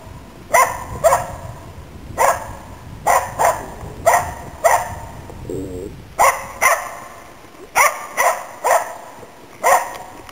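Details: Finnish Spitz Nella giving steady, loud hunting barks in Inari, Finland, autumn 2010, while hunting waterfowl and game birds; around fifteen sharp barks come in quick pairs and singles with brief gaps.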